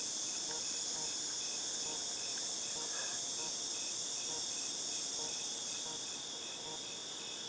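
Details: Cicadas recorded in August 2018 give a steady, high-pitched electric hiss that drones on without a break.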